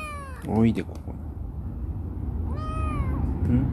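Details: Rescued black female cat Chibikuro, once a wary stray and now affectionate, makes a short meow and then a longer arched meow, with indoor background noise and possibly a human voice.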